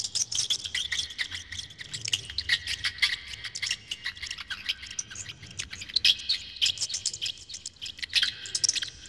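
A hamster gives a steady stream of thin, high squeaks and rapid chittering clicks.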